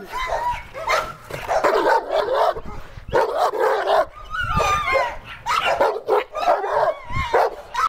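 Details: Cane Corso guarding property and home, barking in dense, rough bursts mixed with growly, wavering vocal sounds, continuous over several seconds.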